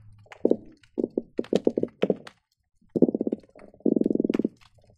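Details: Croakers, possibly with garibaldi, drum underwater at the Marina Drive bridge between Long Beach and Seal Beach, recorded by hydrophone on a busy day: low, rapid trains of knocking pulses rising and falling in bursts.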